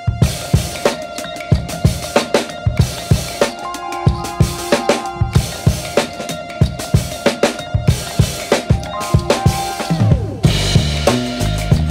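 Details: Drum-driven music with a pounding bass drum, snare hits and sustained synth tones runs the whole length, without any animal sound.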